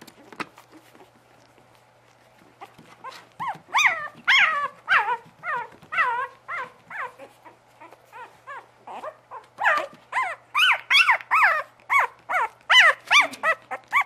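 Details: Bugg puppies give a series of high, arched yelps and whines. After a near-silent first three seconds, the calls come in quick bursts and grow louder and denser toward the end.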